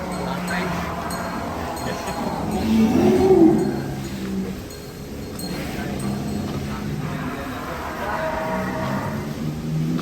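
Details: Cattle in a barn housing 1000 head at Sumber Ternak Farm; a low, drawn-out moo swells and peaks mid-clip above a steady background hum, with people talking nearby.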